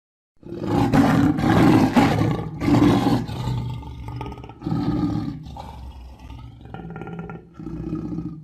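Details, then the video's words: Roaring lion gives a continuous series of deep, throaty roars that start loud and rough, then weaken into shorter, lower grunting bursts over eight seconds. "صوت الأسد - زئير الأسد - Lion Roar"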